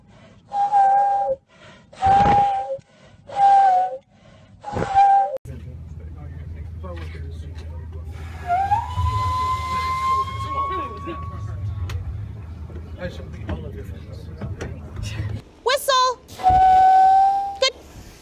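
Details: Walrus (Odobenus rosmarus), whistle.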